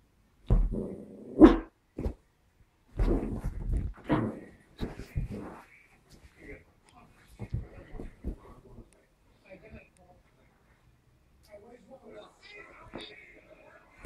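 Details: A Yorkshire terrier playing with a mouse gives sharp, excited barks and yaps in short bursts, with people talking quietly nearby.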